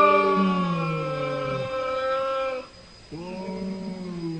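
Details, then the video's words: Cats talking to each other: two long, drawn-out, tonal meows. The first holds steady for about two and a half seconds and then trails off. After a short pause a second, slightly falling wail follows. "funny cats talking each other"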